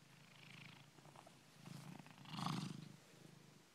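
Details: Domestic cat just woken from snoring, purring low and steady with pulsing swells that strengthen toward the end, while a person speaks softly nearby.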